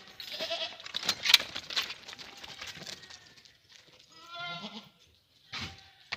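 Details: Farm herd of French Alpine goats in Guercif, Morocco, for sale: clattering and rustling at first, then a clear, quavering, harmonic bleat lasting under a second, followed by brief noise bursts.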